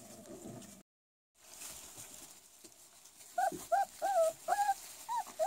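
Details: Rottweiler puppies four weeks old giving high, rising and falling whines in quick succession near the end, after a quiet stretch with low murmurs.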